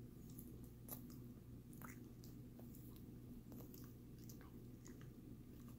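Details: Sammie the dog working on a Greenies treat in a small room; scattered crunchy bites and moist smacking sounds, a sharp crack near one second, all above a quiet continuous hum.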